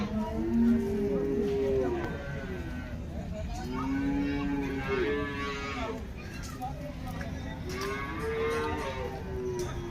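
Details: Cattle at the Loni cow market in Maharashtra on 26 September 2024, where crossbred cows are offered for sale. Several long, low, drawn-out moos rise and fall, one after another, over steady crowd chatter and men's voices.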